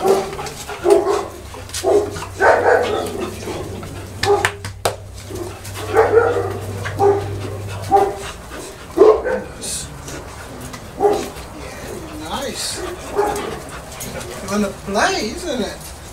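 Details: Boerboel dogs during a visit to a breeder's kennel on 30 October 2013, barking in short loud bursts repeated every one to two seconds, mixed with people talking and brief music.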